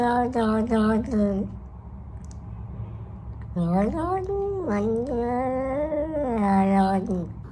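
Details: A domestic cat makes odd, drawn-out, wavering meows, low and moaning, in short bursts.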